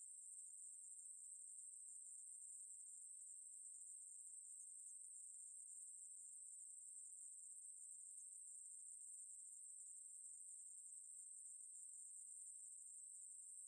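A conehead katydid gives a steady, high-pitched, unbroken buzz that holds without pause.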